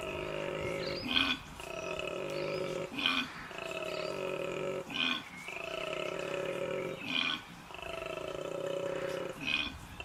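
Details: A koala's mating call in the Australian bush: long, droning, snore-like groans broken every two seconds by harsh gasping intakes, loud and strange, likened to a sick cow crossed with a braying donkey.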